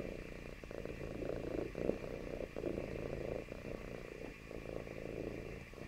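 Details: Cat clinging to its owner's company purrs softly and steadily, a low pulsing hum rising slightly in the middle before easing off.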